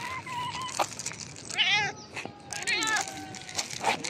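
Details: Hungry, talkative, tailless street cat, back after more than a month away, meowing outdoors: a string of short, drawn-out meows, some rising then falling, with a few quick chirpy calls between them.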